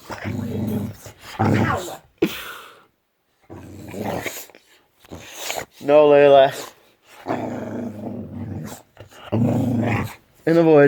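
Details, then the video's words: Pet Boxer rousing its owner on a morning off, wanting attention, lets out two loud wavering, yodel-like howls that climb and wobble in pitch, alternating with low grumbles and an owner's speech in a small room. "Boxer Dog OR Alarm Clock?"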